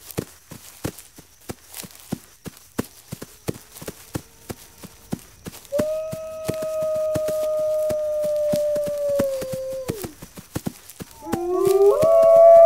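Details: Wolf howl, described as alerting the pack to ready defences: six seconds of rapid dry ticking, then a long flat drawn-out howl that drops off at the end, followed by rising overlapping howls from further voices.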